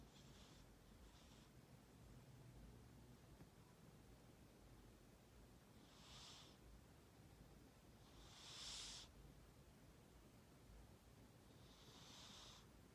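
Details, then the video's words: A pet cat named Shiro snoring: soft, breathy hissing bursts come at uneven intervals, a few seconds apart, over a quiet background hiss. "Snore cat 코고는 고양이"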